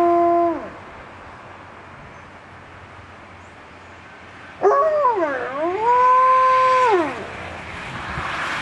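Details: Alaskan Malamute howling at passing fire trucks: the tail of one howl fades, then after a quiet pause a new howl swoops down, rises back up, and holds a level tone before dropping away.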